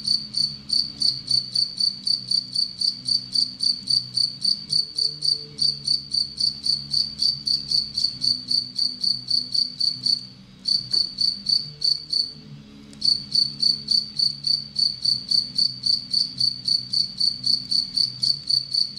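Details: Captive Anadrymadusa retowskii, a relatively aggressive bush-cricket, calling while preying on an Egyptian locust; high, buzzy pulses repeat steadily about four times a second, pausing briefly near the middle before resuming, over a faint low hum.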